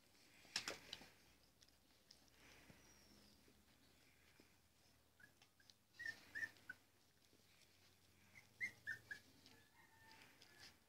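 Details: Labrador Retriever puppies during morning cuddles give short, high whimpering squeaks: a pair around the middle and a quick cluster near the end, over a quiet background with a sharp rustling knock early on.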